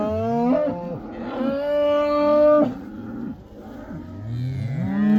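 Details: Black cattle in the Netherlands heading back into the pasture during the Dutch 'cow dance', mooing in long harmonic-rich calls, several overlapping, some held steady and others sliding in pitch.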